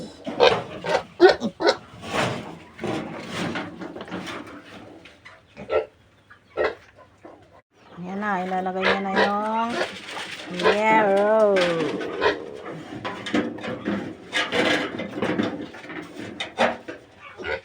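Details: Piglets of a new sow being weaned: a stretch of short noisy grunts, then drawn-out harmonic squeals with wavering, chevron-like pitch around the middle. Grunting resumes afterward, mixed with some human speech.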